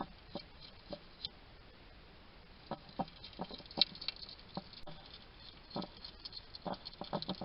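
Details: Little male wild hedgehog eating at a feeding station in a garden in Somerset, UK, chattering to himself: sparse, sharp chewing clicks and smacks spaced irregularly, clustering near the end, over faint steady hiss.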